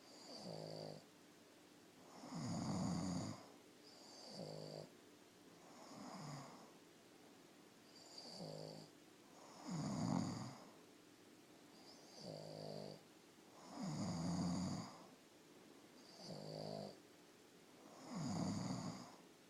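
A Boston Terrier snores in low, rasping breaths, trading turns with a man's heavier snores.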